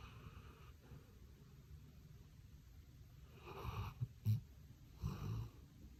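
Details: Sleeping Labrador Retriever Daon, curled up with a toy on a warm electric mat, giving soft low snores, then two louder rasping snore breaths near the end with a short snort between them.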